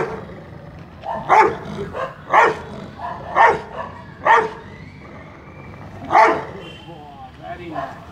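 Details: A male Rottweiler in Mumbai gives deep, forceful barks on a speak command during attack training, spaced about a second apart.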